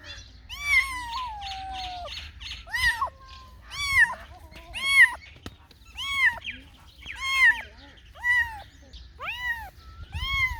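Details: Cats and kittens meowing repeatedly, about one high arched meow per second, some calls rising then falling, several overlapping voices, with low background rumble.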